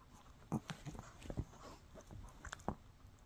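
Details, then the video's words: Shih Tzu puppy Mikki chewing a no-hide bully stick indoors; a few sharp crunchy bites and soft gnawing clicks in a quiet small room. "Shih Tzu Chewing on a Bully Stick"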